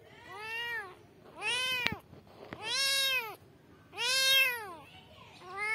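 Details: Kittens calling for their mother with a run of arched, harmonic-rich meows, five calls in under six seconds, some overlapping, with a couple of sharp clicks between them.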